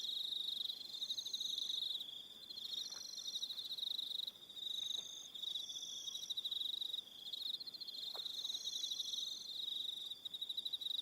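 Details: Crickets calling on an evening on Aroha Island, New Zealand: a dense, continuous high chirping band with pulsed trills, joined by higher intermittent buzzy phrases, a few brief faint clicks beneath.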